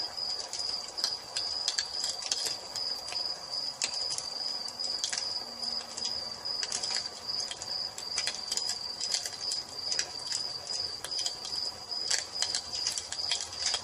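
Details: At evening by a crackling fireplace, crickets keep up a steady, piercing trill on a single pitch, with scattered loud pops and snaps of burning wood throughout.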